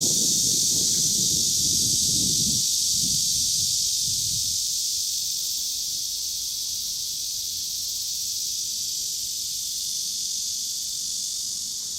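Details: Cicadas in Kanazawa, Japan, recorded in 2013, where only Cryptotympana atrata and large brown cicadas were calling: a dense, unbroken high hissing buzz throughout, with a low rumble beneath during the first few seconds.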